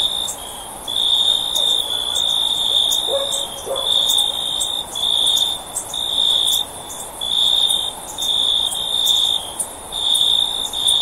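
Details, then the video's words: Cricket calling in steady high-pitched trilled bursts, each lasting about half a second to a second with short gaps between, plus faint sharp ticks above and a soft constant hiss underneath. "Cricket Sound For Sleep"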